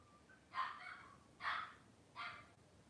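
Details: Cavalier King Charles Spaniel puppy indoors on a kitchen camera on a cloudy Monday morning, giving three short, bright yips spaced roughly 0.8 seconds apart over a quiet room background.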